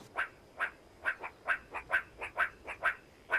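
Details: A meerkat gives short, chirping clucks about twice a second, apparently talking to the rest of its group just outside to keep in contact.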